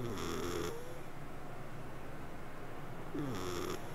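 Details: Sleeping cat purring and snoring: two breathy, hissing snore bursts about three seconds apart, each with a faint nasal whistle, over a steady low rumble.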